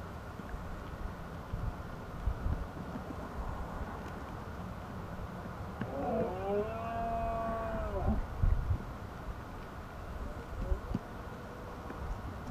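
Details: Red deer roaring during the rut in the Asturian mountains of Spain. A single drawn-out, harmonic bellow of about two seconds arches up and falls back, and a fainter call follows shortly after, over a steady low rumble of background noise.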